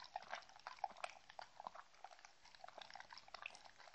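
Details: Mindy, a Shetland Sheepdog, drinks and eats treats close to the recorder indoors. Wet lapping and slurping clicks come in quick uneven bursts, interrupted by a few sharper crunches.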